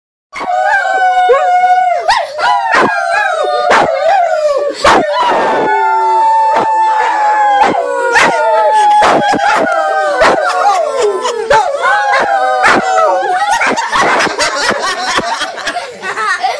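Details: A mixed-breed dog rescued from the streets howls in long, wavering tones while people howl along with it.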